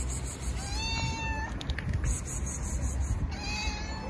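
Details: Stray female tabby cat, said to be starving, meowing for food: two thin, wavering meows, the first longer and falling slightly, the second short, over steady low rumbling noise.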